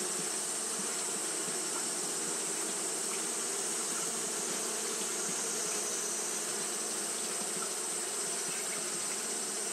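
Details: On a hot day, Japanese honey bees keep up their fanning, making a thick, even buzzing drone with faint flickers of individual wingbeats over a constant high hiss.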